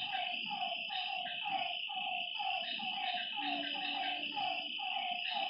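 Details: Lakeside frogs at night giving rough harmonic croaks in loose repeated series, backed by a steady high-pitched insect drone and a brief low hum.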